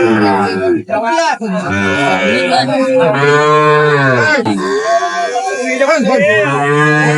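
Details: Sahiwal bull calves at a cattle market where a farmer from Dhaka is buying, 10 June 2025. A long, low, drawn-out moo swells and then sags, with shorter lowing around it, among a man's voice and market chatter.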